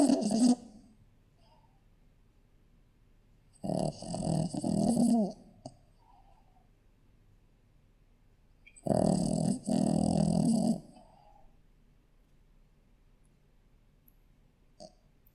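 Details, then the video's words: Shih Tzu puppy asleep, giving slow rough snoring breaths roughly every five seconds, each about two seconds long, separated by quiet. "Snoring Shihtzu puppy!"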